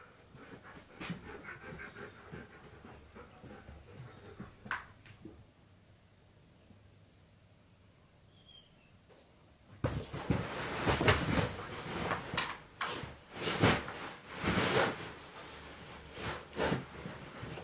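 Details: Husky in a small room hunting for its owner hidden beneath his beanbag, breathing quietly at first, then bursting into loud, rapid, irregular panting with sniffing and rustling for the last several seconds.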